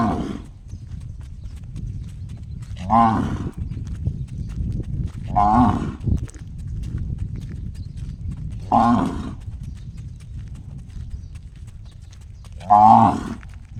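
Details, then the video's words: Cow calling with a strange gong-like voice: short, resonant, tonal blasts repeated about every three seconds, five in all, over continuous low-pitched background rumble. "Funny cow noise sounds just like a gong"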